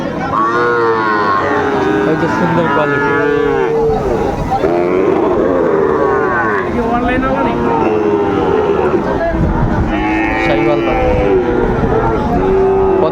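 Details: Sahiwal bull calves at a cattle market in Kushtia, Bangladesh, on 2 August 2024, lowing in drawn-out, mid-pitched moos that rise and fall, several animals overlapping, over steady crowd chatter.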